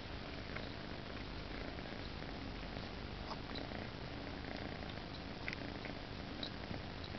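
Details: Two domestic cats squeezed tightly together while snuggling indoors; a steady, low, rumbling purr runs without break through the whole stretch, with faint soft ticks and rustles above it.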